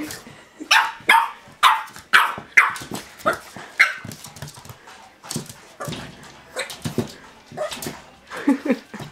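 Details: A Boston Terrier named Lille Venns Dolly Milla barks at her reflection in a mirror: sharp, high yapping barks in quick irregular bursts, about two per second at first, then softer huffs and grumbles.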